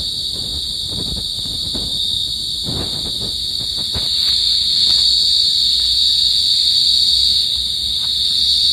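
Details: Pacific field cricket's continuous high ringing trill, swelling louder midway, over low thumps and rumbling knocks in the first few seconds.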